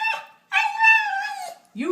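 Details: Domestic dog giving a long, even-pitched howl of about a second that swells then fades, preceded by the tail of an earlier tone and followed by a lower, rising yelp-like start.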